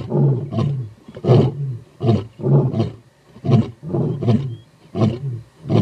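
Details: Two Skorro coalition male lions, brothers, roar together in deep, grunting bursts about every second to advertise their territory in Timbavati, South Africa, around 6:15 on a hot morning, then fall quiet to listen for a response from the south.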